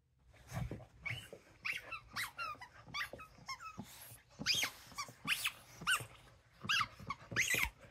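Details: Dosa, a pet dog, gives a run of high, squeaky yelping barks, each a short rising-and-falling whine-like note, about one every second, growing louder toward the end in a quiet indoor room.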